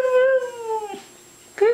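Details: Female Siberian husky "talking" back to an owner saying "I love you" and "good girl": a gently falling harmonic howl of just under one second, a pause, then the start of another brief rising note.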